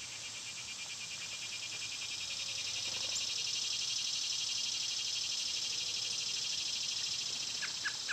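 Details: Cicadas in summer, when they are loud, recorded outdoors among birds and squirrels: a broad, finely pulsed buzz swells over about three seconds, then holds steady above high, constant insect tones, with a few short bird chirps near the end.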